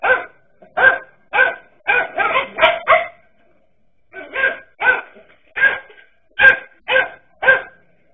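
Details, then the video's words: Dachshunds barking at a king cobra, loud clipped barks repeated about every half second, a brief lull, then a steadier series of single barks. "King Cobra VS. Dachshund DOGS"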